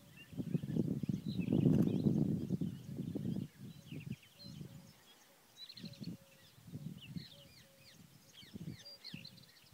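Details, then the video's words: Wild boars at Nahal Yissachar give a run of deep, rough grunts, loudest and densest in the first three seconds, then shorter grunts spaced a second or so apart, with faint bird chirps and a steady mid-pitched piping tone behind. "חזירי בר - נחל יששכר"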